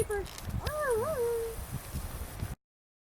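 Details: Leia, a baby Siberian Husky puppy sitting next to a friend, lets out a thin, wavering howl that rises and dips for about a second before sliding down, with soft rustling and background noise around it.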